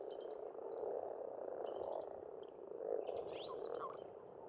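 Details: Frogs in spring at an Estonian farm pond keep up a thick, rolling croak chorus that pulses louder around the first and third seconds, with bright bird whistles and twittering overhead.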